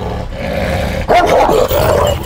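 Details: A champion Anatolian Shepherd Dog in Aksaray, Turkey, intolerant of people, growls a low rumbling warning into a nearby microphone as a stranger edges closer; its tail posture stays unchanged.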